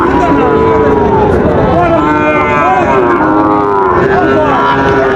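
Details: Sahiwal breed bull calves at Raniganj cattle market, Dinajpur, Bangladesh, 30 September 2024. Sustained, droning moos with bending pitch sound steadily over market chatter and people bargaining.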